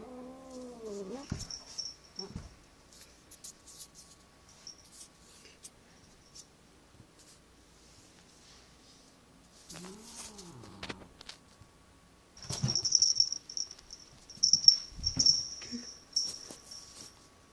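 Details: Agitated cat giving two drawn-out, wavering yowls that rise and fall in pitch, one at the start and another about ten seconds in, followed by harsh hissing bursts and rustling in a quiet indoor room.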